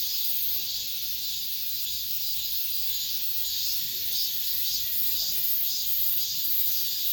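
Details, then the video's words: Late-summer cicadas in an apartment complex grounds, filling the air with a steady, hissing high buzz that throbs slightly in rhythmic pulses, with no other clear sounds. "올 여름 마지막 매미소리"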